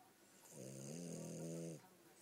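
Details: French Bulldog named Gomashio snoring while asleep: one drawn-out snore of about a second, a steady low droning rumble with stacked harmonics and a breathy hiss above, then quiet breathing.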